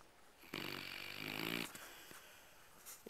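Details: Sleeping Labrador dog, described as really tired, gives a single loud, raspy, buzzing snore of about a second, followed by quiet breathing and small snuffles.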